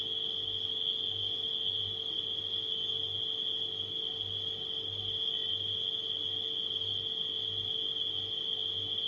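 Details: Steady high-pitched cricket trilling fills the night without a break, with a refrigerator humming low and pulsing gently in the background.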